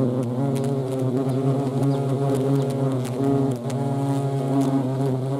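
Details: Vespa crabro, the European hornet, in action; a dense low buzzing drone with layered harmonic tones that bend and waver, a brief dip in loudness midway.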